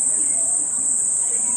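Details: On a day of on-and-off rain, a cicada's steady, high-pitched buzz drones on without a break, with a voice faintly underneath.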